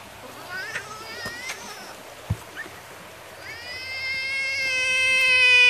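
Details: Frog in defense mode, puffing itself up bigger, lets out a long, loud, steady wailing scream that swells in volume toward the end, preceded by a few short squeaks, with people talking nearby and splashing water.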